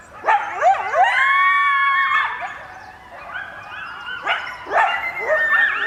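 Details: A coyote family howls together in response to sirens, in wavering, overlapping voices sliding up and down between quick yips.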